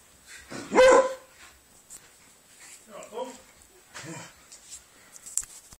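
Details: A Spaniel and a Beagle play together; one sharp loud bark rings out early, followed by softer grumbling woofs and scuffling sounds of the dogs at play.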